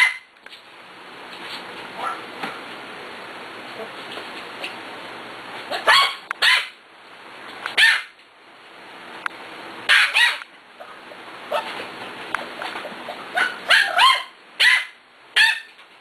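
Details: Six-week-old puppies from a litter, playing together: a run of high squeaky yips and short barks, irregularly spaced and clustered toward the second half, with soft background hiss between.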